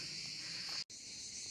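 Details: Cicadas singing in summer heat beside the uphill path to the Yanartas eternal-flame chimneys near Olympos, southern Turkey: a dense, unbroken high hissing drone holding steady throughout, with one brief cut of silence partway through.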